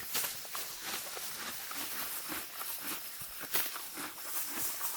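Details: A female Morgan horse grazes deep spring grass, tearing at it with crisp, repeated rips and crunchy chewing.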